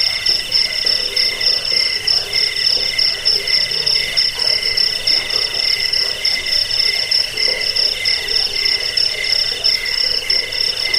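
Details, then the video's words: Crickets in a recording meant to drive off rats, lull listeners to sleep and tutor songbirds: continuous shrill pulsed trilling on bright high bands, softly throbbing roughly once a second, with no other clear sounds. "Suara jangkik"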